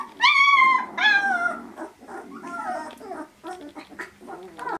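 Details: Vizsla litter at 18 days old, starting to interact with their mother and one another: two long, wavering squealing whines open, followed by scattered short squeaks and soft grumbles.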